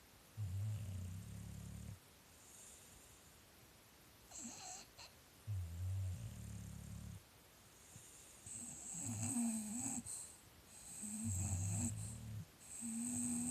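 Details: English Bulldog in a snoring contest: deep, rumbling snores come in rhythmic pulses about every three seconds. Later snores turn rattly and wheezy, with a faint high hiss above.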